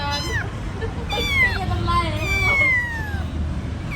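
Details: Several drawn-out kitten meows from young pets that have just learned to walk. The cries overlap and slide downward in pitch, with people talking and a steady vehicle rumble underneath.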